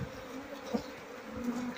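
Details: Asian honey bees of a queenless Apis cerana colony hum continuously while a beekeeper removes honey-filled combs lacking larvae; an even low buzz with a brief louder pulse partway through and quiet handling noise.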